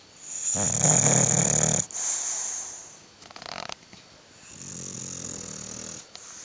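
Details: Bulldog snoring indoors: loud, rasping buzzy breaths with a harmonic rattle, each long inhalation about a second and a half, separated by quieter exhalations with a high hissing tone.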